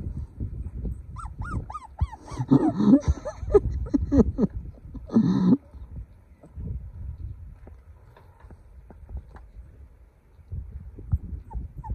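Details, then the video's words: Golden puppy crying: short, high whimpers that bend downward come in a quick run, then a louder cluster of cries and squeals, followed by quieter background rustling with a couple of faint whines near the end. "Sound Puppy Cry"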